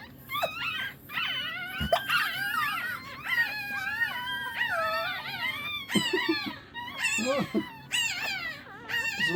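Several Shih Tzu puppies whine together in high, wavering, overlapping squeals.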